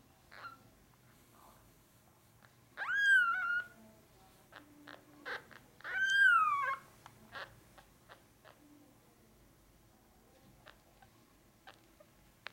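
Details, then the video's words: Male Norwegian Forest Cat kitten, brown classic tabby and white, born 8 March 2020 at Cattery FANTARJA, gives two loud rising-then-falling meows with quieter clicks and rustles between. "Norwegian Forest Cat.Cattery FANTARJA Kitten-Male"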